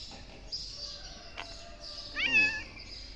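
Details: Black stray cat in Morocco, hungry, thirsty and thought to have newborn kittens, lets out a single short wavering meow near the end amid steady outdoor hiss.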